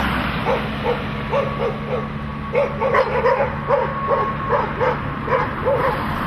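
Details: Dogs barking at cars: a rapid run of sharp barks, about two to three per second, with a few irregular gaps, over a steady low engine hum.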